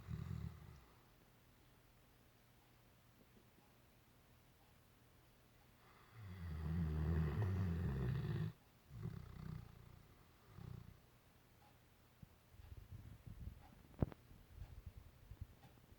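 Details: Great Dane snoring while dreaming: one long, low, rasping snore, then a shorter one, with quiet breathing between, one sharp click near the end, and faint background hiss.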